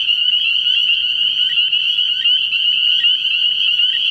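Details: Early-year nighttime chorus of spring peepers at a frog pond, many high piercing peeps overlapping into a continuous shrill whine, with a few brief lower chirps repeating roughly every half second.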